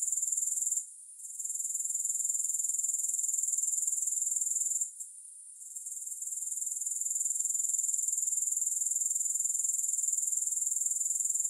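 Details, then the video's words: High, sizzling grasshopper trill, fast and regular, interrupted twice by short pauses of about a second before resuming at full strength. "Grass Hopper Sounds"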